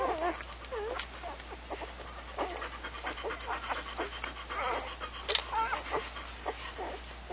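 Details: Puppies make short curved whimpers and soft squeaks among breathy panting-like noise, with scattered clicks and rustles.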